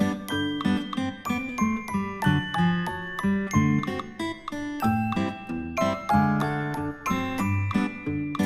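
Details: Bright mallet-percussion music with bell-like chiming notes plays throughout, with no animal voice.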